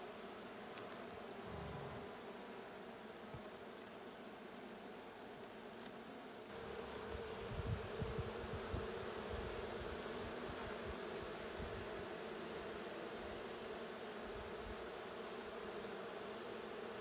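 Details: Colony hum from a honey bee hive, checked June 20, 2022. A continuous low buzz swells noticeably louder about a third of the way in, with a few soft clicks and rustles as the hive is opened.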